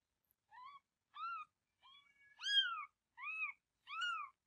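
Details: Mother cat on the verge of giving birth, still holding a kitten; six young born afterward. Six clear rising-then-falling meows, rich in harmonics, come in quick succession, the fourth longest and loudest.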